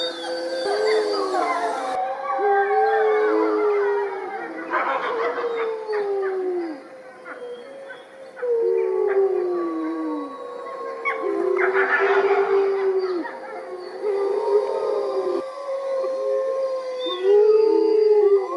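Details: Several gray wolves in the UK howl together in a chorus, long sliding tones overlapping and rising and falling.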